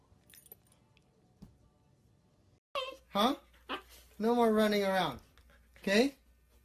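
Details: Siberian Husky "talking" indoors: a drawn-out, wavering vocal note that rises and then slides down, with short yelping syllables before and after, in a small quiet room.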